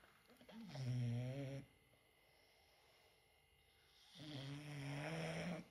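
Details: English bulldog snoring: two loud, rasping, low buzzy snores with a steady droning tone, each lasting about a second, separated by a quiet pause of breathing near silence.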